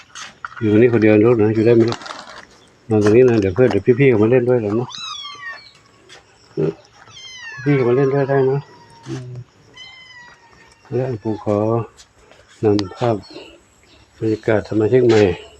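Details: Stray kitten that turned up alone at Wat Pong Chai temple, Chae Hom, Lampang, Thailand: several thin, high, downward-sliding meows between stretches of loud, close human speech.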